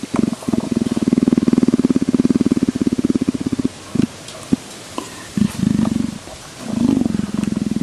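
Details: Leopard being scratched, rumbling in a fast, even pulse for about three seconds, then in shorter broken bursts with small clicks between them.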